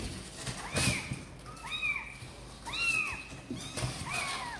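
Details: Kittens of Sor and Kapov wanting to come out and play call in a steady series of drawn-out, arched meows roughly once a second, sometimes two voices overlapping, with light rustling between.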